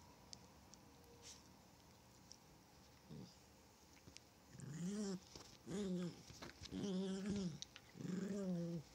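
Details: A Chihuahua at play, quiet at first, then growling in four strong, evenly spaced harmonic bursts, each about a second long with a slight rise and fall in pitch.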